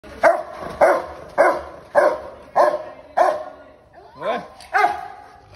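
A Rottweiler puppy barks in sharp, fairly high bursts, roughly two each second.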